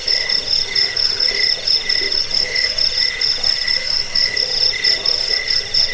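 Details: Crickets chirping, a recording meant for repelling rats, sleep and songbird training: high trilled tones in layered bands, swelling in short bursts roughly once a second over a constant shrill background.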